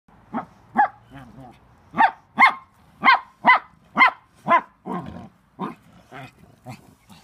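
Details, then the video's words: A Chihuahua fighting a Rottweiler, with a string of sharp, high barks, roughly one per second, and short growly yaps between them. "Crazy Chihuahua fights Rottweiler"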